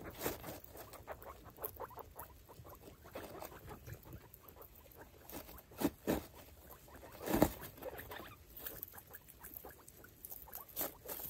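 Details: Five baby foster guinea pigs, Pinto Bean, Taco, Churro, Billy and Queso, with their mother Chalupa, explore a freshly cleaned cage; soft, short low notes repeat in quick runs over steady pattering and rustling of bedding, with a few louder thumps.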